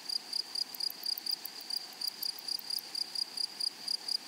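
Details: High, shimmering insect chirring from meadow grasshoppers, with short buzzy bursts arriving roughly once a second over a continuous thin tone and quiet background hiss.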